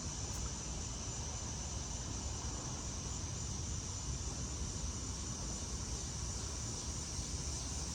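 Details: Cicadas, called locusts, chorusing unseen high in trees just after 8pm on a first Friday evening in August in Maryland, US; a steady, unbroken high buzzy drone over a heavy low rumble of background noise.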